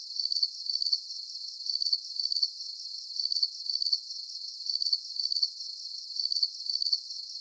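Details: Crickets chirping at night for relaxation and sleep: steady, high, shrill pulsed trills in short bursts repeating about twice a second, with no other sounds.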